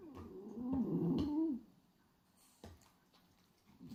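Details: Sleeping French Bulldog Hachi, a pied black-and-white male, snoring with his tongue flapping; one nasal, droning snore with a wavering pitch lasts about a second, then quiet breathing and faint rustles.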